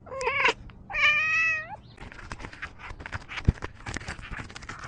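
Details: Cat making "small talk": two clear meows, a short rising one then a longer drawn-out tonal meow ending in an upward bend, followed by rustling and handling noises.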